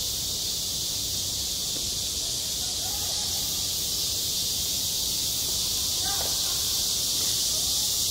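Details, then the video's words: Summer cicada chorus at a school playground, a continuous shrill buzzing wall of sound that holds steady throughout, with faint scattered lower sounds in the background. "한 여름 운동장에서 매미가 울고 있다 - 여름의 소리, 학교 종소리, 매미 울음소리"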